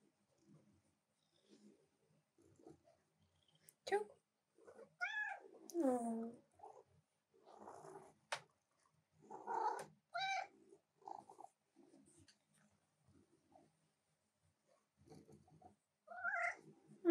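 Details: Female house cat pestering her owner at the keyboard during work; scattered short arched meows and chirrups stand out amid quiet human talk and small room noises, a final meow rising at the end.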